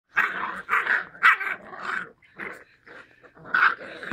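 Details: Labrador Retriever puppies growling in rough, raspy bursts of under half a second, repeated irregularly during play, with short gaps between them.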